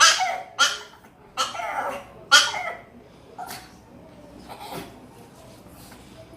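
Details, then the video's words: Pet female dog that spins and makes an annoying noise whenever she hears a strange sound; short, harsh, high-pitched bursts repeat irregularly in a small room, fading toward the end. "Most annoying dog noise"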